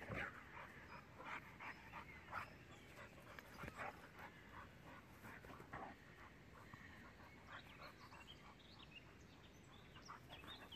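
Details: Six-year-old German boxer Jack at play with a pitbull puppy, making quick rasping pants and brief whines in uneven runs over a noisy, rustling background.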